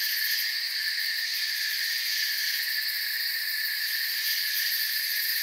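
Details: Crickets in a forest chorus: a steady, dense high shimmer in several bright bands, with a faint rapid pulsing at the very top. The wall of sound never pauses, and no other animals or voices stand out.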